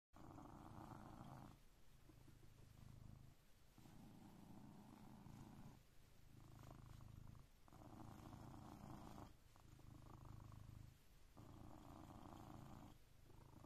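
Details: Coconut, a blue British Shorthair cat, purrs while waking its owner at 6am. The steady rumbling purr rises and falls in long inhale and exhale cycles about every two seconds, indoors with no other sounds.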